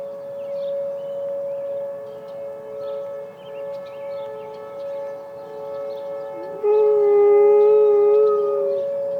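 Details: Malamute Great Dane Penny joins an emergency siren test with one sustained, slightly wavering howl after several seconds of steady siren tone. Small birds chirp faintly throughout.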